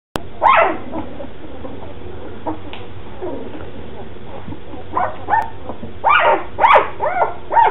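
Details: Red and black standard poodle puppies, two weeks old, from a planned litter of Cooper and Molly, fussing with short rising squeaks and whimpers in scattered bursts, clustered near the end, over a steady low hum.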